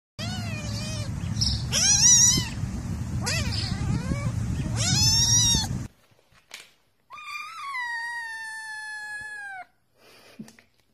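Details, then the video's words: Pet cat from a talking-cats compilation giving drawn-out, bending meows, then a long level wail held about two and a half seconds; steady rumbling noise underlies the first half. "Ultimate Talking Cats"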